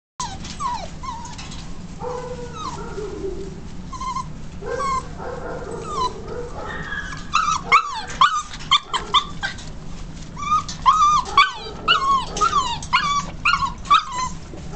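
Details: Beagle at a shelter awaiting adoption, recorded 24 February 2011: a run of high, nasal whimpers, each a short rising-then-falling whine, coming in quick bursts that grow denser and louder in the second half, over a low constant hum.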